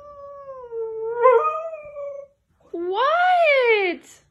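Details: Siberian Husky protesting at being kept inside: a steady held tone, then a separate short howl that rises and falls in a smooth arch, with a person's voice around it.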